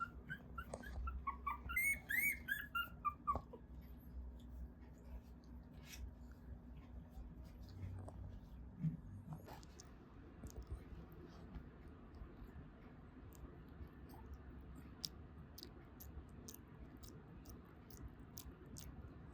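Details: Newborn Mame Shiba puppies in Isa, Kagoshima, Japan, crying in their sleep: a few high, wavering whines in the first three seconds, then only faint clicks and rustles over a low hum.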